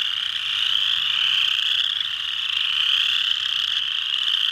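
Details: Many chorus frogs (Pseudacris) call at Mud Hen Marsh, Delaware County, Ohio, USA, on 12 March 2020. Their high, creaky trills merge into a thick, constant shimmering buzz that swells slightly and fades without pause.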